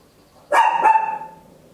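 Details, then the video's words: Single loud bark from a tiny Papillon dog recorded at home with an Olympus LS-11 stereo recorder, a sharp onset with a slight second pulse, then a fading tonal tail. "Tiny Dog Barking Very Loud, Papillon"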